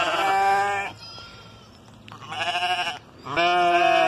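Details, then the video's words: Sheep being talked to, giving long wavering bleats of about a second each with pauses between, three bleats in all, the middle one more quavering. "Talking to sheep"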